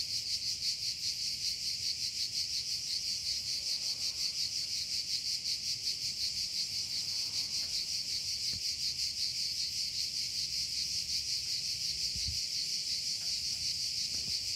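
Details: Cicada calling in a loud, unbroken high-pitched buzz, pulsing rapidly at about three throbs per second for the whole stretch, with a few faint clicks and low rumble in the background.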